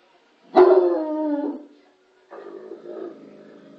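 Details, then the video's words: Bloodhound barking at the TV: one long, loud, drawn-out bark with a rich harmonic tone lasting about a second, then a quieter, rougher follow-up woof. "Lorenzo barking to the TV - Lorenzo ladrando a la televisión"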